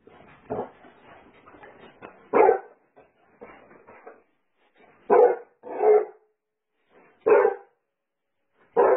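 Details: Basset Hound barking in a funny pet compilation: six loud, deep barks come in uneven bursts, some in quick pairs. Softer low grumbling and rustling sounds fill the gaps between the first barks.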